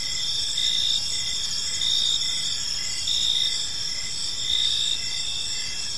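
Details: Evening cricket chorus in a quiet park, a constant shrill ringing of many insects overlaid with short, evenly spaced lower chirps that come in brief bursts, background otherwise calm.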